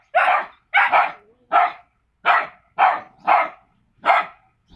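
Staffordshire Bull Terrier puppies give short, sharp, high-pitched barks in quick irregular bursts.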